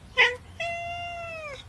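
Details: Cat giving a single long, drawn-out meow, steady in pitch and then falling at the end, preceded by a short sharp noise.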